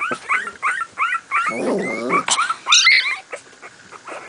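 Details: Two-week-old Miniature Pinscher puppies at play give high, squeaky whines and yelps in quick repeated bursts.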